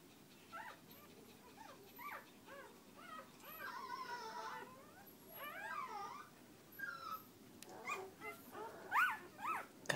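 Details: Female Border Collie cross puppy, third of the litter, sire a Border Collie and dam of unknown breed, indoors, giving a series of thin, high whines that rise and fall, some short and some wavering, growing louder toward the end.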